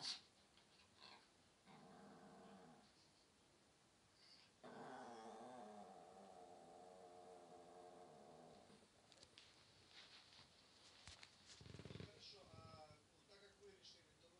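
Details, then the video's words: Pomeranian spitz dog 'talking': long, low, rumbling, harmonic moan-growls, one held about four seconds, then breathy yips and a rising whine near the end, in a quiet room. "Говорящий Померанский Шпиц"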